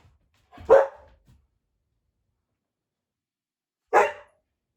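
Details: Samoyed named Kumanosuke, indoors, holding back in a 'wait challenge' in front of its favourite deer bone jerky: two short, loud barks about three seconds apart, with quiet in between.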